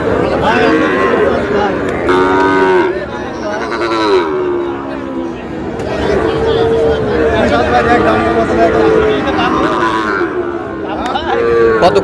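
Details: Sahiwal bull calves being traded at Ambari cattle market in Manikganj on 14 August. Several moos rise and fall and overlap with men haggling over prices. A steady crowd murmur fills the background.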